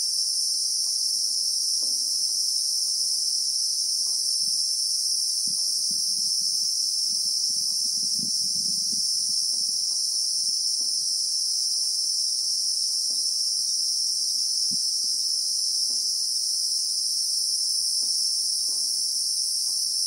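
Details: South African bushveld at real time, with a Christmas beetle (Anoplognathus) giving a relentless shrill drone in layered high tones, while a low rumbling rustle rises briefly in the middle beneath it.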